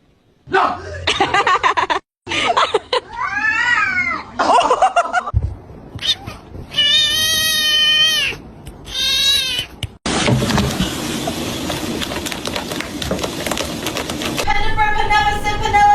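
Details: Pet cats in a funny compilation: drawn-out, arching meows and long wailing caterwauls, cut between segments with music, laughter and people talking.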